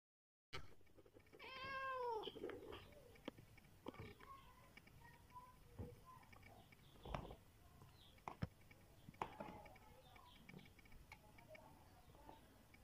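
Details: Big domestic cat crying when very hungry; one drawn-out, wavering harmonic cry lasting about a second, followed by faint knocks and soft rustling over low background hum.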